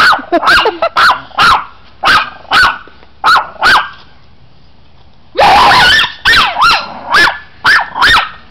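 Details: Chihuahua being teased by a friend, letting out a rapid string of shrill yaps, then a drawn-out rough bark and further quick yaps at a steady pace.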